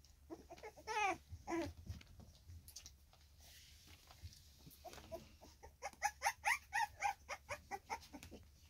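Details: Staffordshire Bull Terrier puppies, three weeks old, recorded 10 August 2024, with two loud harmonic squeals early, a quieter pause, then a fast series of about ten sharp whimpering yelps, roughly two a second.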